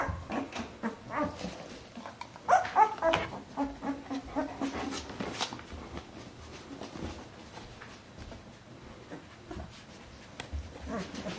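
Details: Litter of Bernese Mountain Dog puppies aged fourteen days, indoors: rapid little whimpers and squeaks, a cluster of thin high cries early on, then quieter whining amid rustling and occasional bumps.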